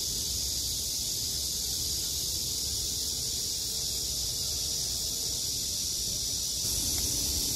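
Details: Cicadas in summer: a steady, dense high-pitched buzzing drone that holds unbroken for the whole stretch, with faint low rumble beneath and a slight swell in intensity near the end.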